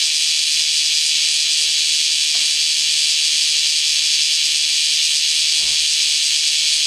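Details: Bear cicadas in Kyoto starting up again right after rain; a constant, bright sizzling wash of high sound, with a couple of faint low knocks in the background.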